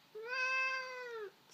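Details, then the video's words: Sphynx cat, annoyed at not being allowed to attack a person's arm, gives one sustained, even whine of about a second with a slight rise at the start and a drop at the end, in a quiet room. "Sphynx whining"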